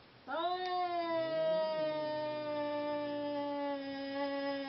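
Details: Seal Point Siamese cat during a mating attempt: a rising then long level wailing cry lasting over four seconds, gradually lowering in pitch, with a quieter lower moan from a second cat underneath early on.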